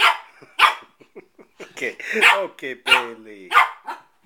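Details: Bailey, a 4-month-old male Shih Tzu puppy, barks at his own reflection in a mirror while playing: sharp high yaps spaced irregularly about every half second, with a person's voice talking in between.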